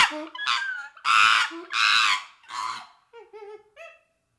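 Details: Young chimpanzee letting out three loud, harsh screams in quick succession, followed by a few soft, wavering tonal whimpers that trail off into quiet.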